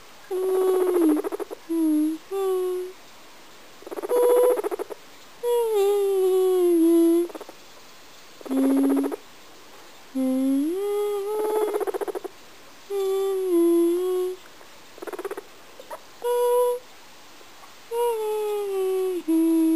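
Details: Kadoc the guinea pig sings a little song: a long run of short sustained tonal phrases, many dipping or bending in pitch, separated by pauses and buzzy pulsed bursts.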